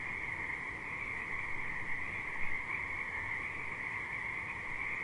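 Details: Many frogs at a river keep up a constant, even chorus of high trilling with a fainter lower hum. One slightly louder pulse stands out midway. The background is quieter and less rumbly.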